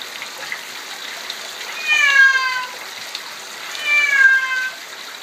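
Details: Bengal kitten, 11 months old, male, meowing loudly after being soaked in a shower: two long drawn-out meows with clear harmonics, each falling slightly in pitch, about two seconds apart, over a steady background hiss.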